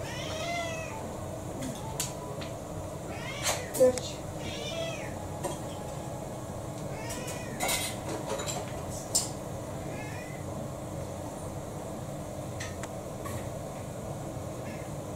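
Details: Kou-chan, a roughly six-year-old house cat, goes on strike over dinner in December 2022, giving several short, fairly faint meows spread across the stretch amid clinks of dishes and cutlery.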